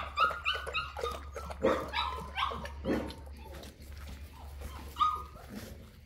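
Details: Boerboel (South African Mastiff) from the pair Enzo and Diva kept in Egypt, giving a run of high tonal whining yelps mixed with short barks, about one every half second, over a steady low hum.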